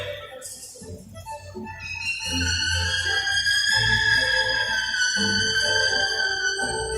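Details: A captive killer whale in a 40-foot show pool at Sea World vocalizes on a trainer's signal in a communication demonstration, giving a long, high, squealing whistle that holds steady and slowly sinks in pitch.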